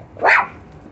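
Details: One loud, high-pitched yap from a Chihuahua puppy busy digging under a fence, rising then falling quickly, followed by quiet.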